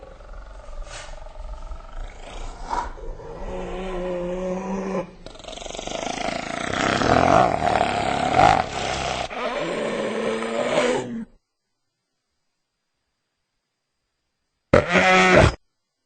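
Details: Hyena calling in a series of drawn-out, moaning harmonic tones that swell and fade, with a louder rough stretch in the middle, a pause of silence, then a brief final burst.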